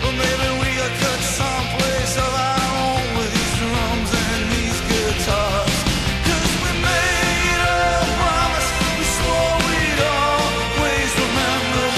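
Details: Loud, driving punk rock with distorted guitars, heavy drums and shouted vocals fills the whole stretch, with no animal voice audible.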